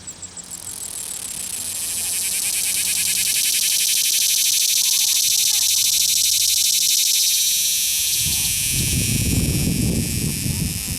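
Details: Cicada caught at Longwood Gardens, Pennsylvania, singing by rubbing its right wing over a fixed, ribbed left wing. A loud, harsh, continuous buzz rises and holds for about eight seconds, then fades under low rustling handling noise.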